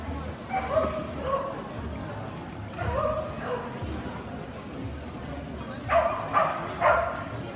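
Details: Kerry blue terriers at a breed specialty dog show dated 29.04.18; three bursts of sharp, mid-pitched barks, each a quick pair or triple, spaced by pauses, over steady crowd chatter and murmuring voices.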